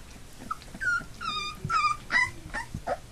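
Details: Three-week-old Labrador Retriever puppies, one of a litter of eight, eyes newly open and starting to walk, give high whining whimpers and yips, several rising and falling squeals in quick succession, with soft shuffling indoors.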